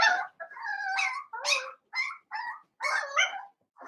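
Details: Seven-week-old blenheim Cavalier King Charles Spaniel puppies, a litter of five kept in a puppy pen at home, give short, squeaky yips and whimpers in quick bursts, some rising, with brief silences between.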